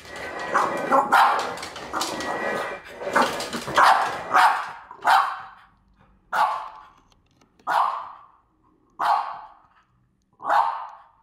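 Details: Female French Bulldog barking furiously at a French Bulldog figurine indoors. A dense burst of loud overlapping barks and voices comes first, then single harsh barks spaced about every one and a half seconds, with pauses of quiet between them.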